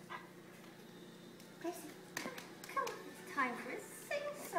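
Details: A male Samoyed howls in wavering, sliding tones, singing along to the Flower Duet from Lakmé while a person speaks.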